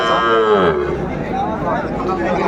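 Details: Young Sahiwal bulls for sale at a Chattogram cattle market, January 2025: one loud, falling moo lasting under a second, followed by background chatter of buyers and sellers.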